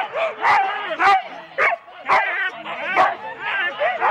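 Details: Rendlesham, January 2016: four-dog Husky teams at a sled start make a dense mix of excited yelps and short barks, punchy bursts roughly twice a second with wavering whines between them. Recorded on analogue cassette tape.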